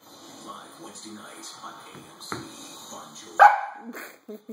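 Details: Dutchess, a 5-month-old female husky puppy, playing with feet indoors: a sharp, loud yip-bark bursts out near the end, with softer whimpering sounds before it and a woman talking throughout.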